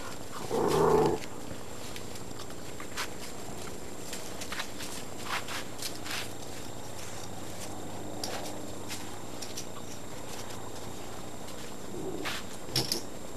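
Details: Great Dane puppies, 52 to 56 days old, from litters O and N at Baia delle Sirene kennel in Italy; one short harmonic yelp opens, followed by scratchy pattering footsteps and a couple of faint whimpers near the end.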